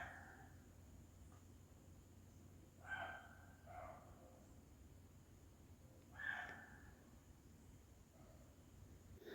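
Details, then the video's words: Frightened female roe deer in a forest at night barking to warn other roe deer after noticing a person: harsh, short barks near three and six seconds, a fainter one just after the first, over a low steady hum. "En fait, c'est juste un chevreuil qui aboie."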